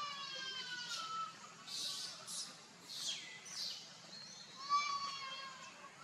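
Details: Baby monkey Leo crying to beg milk from its mother: a run of tonal, wavering cries with stacked overtones, some falling and some bending upward, with brief breathy bursts between them and quiet background hiss.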